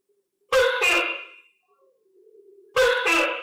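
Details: Pet tokay gecko fed on crickets calls twice: each a loud, nasal two-part bark, a sharp first syllable and a longer, fading second, with a quiet low hum between.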